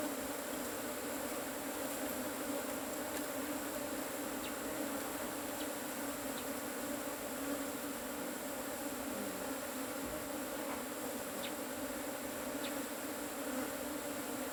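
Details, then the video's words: Agitated Asian honey bees from a harvested cavity hive make an intense unbroken drone, deep steady hum with bright overtones, and faint ticks now and then beneath the swarm. "ตีผึ้งโพรง ເອົາເຜິ້ງໂກນ"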